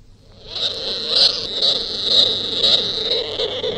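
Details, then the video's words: Opossum giving raspy, hissing calls that swell and fade about twice a second, with a harsh, breathy, high-pitched quality over a lower rough undertone, recorded close up indoors. "Sonido de una Zarigüeya"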